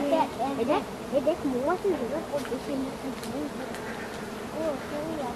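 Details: Giant honey bees buzzing around harvesters taking wild honey in the forest; individual insects whine past with rising and falling swoops over a constant droning background.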